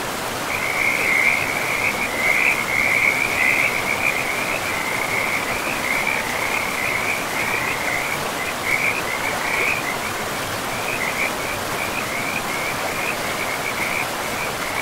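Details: Frog chorus by a river in a pristine, mossy forest: high-pitched trilling calls overlap into a near-continuous shimmering band, loudest in the first seconds and then steady, with rushing river water beneath.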